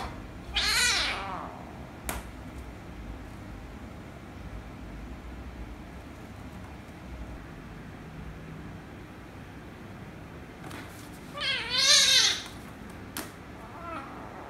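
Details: Kittens meowing, a rescue kitten angered by a ginger kitten: a sharp bent meow at the start, quiet room hum in between, then a loud wavering, rising-and-falling meow near the end with a few knocks.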